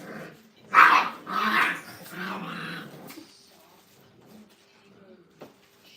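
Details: Brittany puppies, five weeks old, crated in a training kennel: three loud, rough yelping bursts over the first three seconds, then near quiet with only faint rustling.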